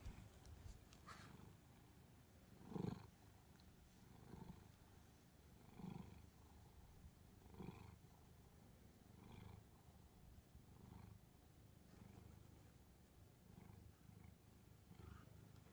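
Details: Calico house cat Angttu lying on a pile of books, keeping its owner from reading; a low, steady rumbling purr fills the clip, broken by a few soft thumps and rustles near three and six seconds.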